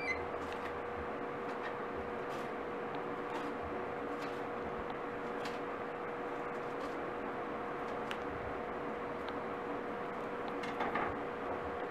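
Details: A quiet indoor room carries a steady electrical hum and scattered faint clicks and knocks, with no animal voice.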